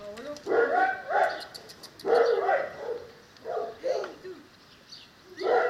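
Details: Cane Corso, linked to a litter plan for the pair Alice and Paolo: loud, tonal whining yelps with bright overtones, rising and falling in short bursts roughly once a second, with brief quiet gaps between.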